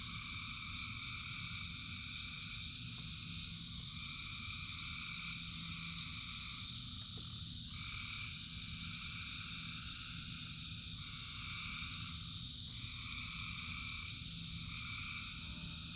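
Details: Thousands of frogs calling together in rain, a thick, even chorus of high trills layered at several pitches, segments breaking off and resuming every one to two seconds above a continuous low rain roar.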